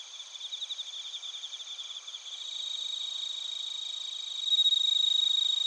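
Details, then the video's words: Crickets, bell crickets and field crickets, singing in Narita, Chiba, Japan, recorded on a TASCAM Portacapture X8: quick rhythmic pulses that merge into a steady high drone, then a loud pure ringing note enters near the end. "スズムシとコオロギの鳴き声 - Chirping of crickets"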